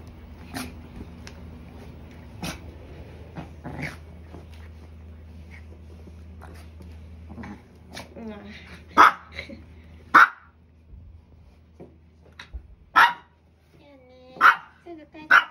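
A Maltese gives sharp, high-pitched barks in short bursts, angrily protesting at its owner.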